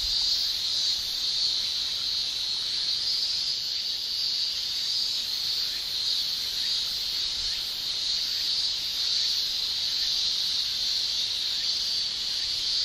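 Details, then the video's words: Males of Japanese cicadas singing in summer, a relentless shrill drone at even loudness across the whole stretch, faint gentle swells but no breaks. "Japan Summer Cicada Shrilling"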